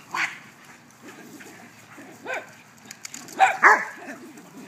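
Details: Dogs at play in a backyard giving scattered sharp barks and yips, a few isolated calls spaced irregularly with quiet gaps between, one loud pair near the end.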